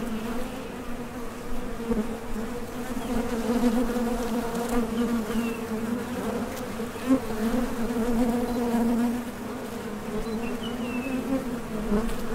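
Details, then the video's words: Steady droning of many honey bees coming and going at a Top Bar Hive entrance on nectar-foraging flights, a continuous low hum with a brighter overtone and gentle surges in loudness. "HONEY BEES Sound Effect #MasonJar | BEES BUZZING"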